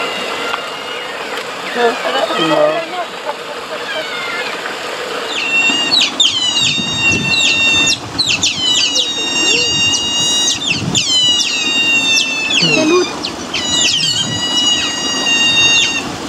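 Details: Eurasian otters, a lively group at a zoo, give shrill, whistled chirps in quick repeated bursts, with murmured voices in the background.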